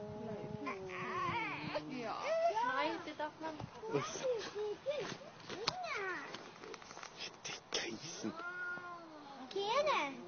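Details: Two cats fighting at noon, trading long drawn-out yowls that waver up and down in pitch, overlapping and swelling in loudness, with sharper rising cries breaking in near the end.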